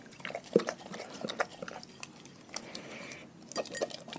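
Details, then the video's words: Raw-fed pet dog chewing its meal: scattered wet crunches and biting snaps, one sharp bite near the start, then softer gnawing with a short pause before chewing picks up again. "Dogs Eating Raw Food"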